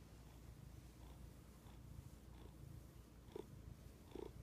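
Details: A cat purrs contentedly, a continuous deep vibrating drone broken into rhythmic breath pulses roughly every second, the last two pulses stronger and rougher; no other sounds intrude.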